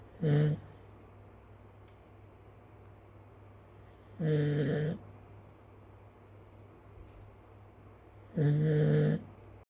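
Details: Sleeping Chinese rural dog snoring: three brief, low, throaty snores spaced roughly four seconds apart, each under a second, with a constant low electrical hum beneath.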